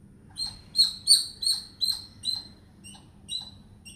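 A squirrel chatters in a quick series of shrill, clipped chirps, roughly three each second. The notes start loud, then grow softer and more spaced out as the run trails away.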